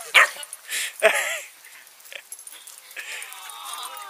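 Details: At a dog run, St. Bernard puppy brothers and a very large dog negotiate over a hole: two loud, abrupt barks open the scene, followed by softer yips, with scuffling and a voice in the background.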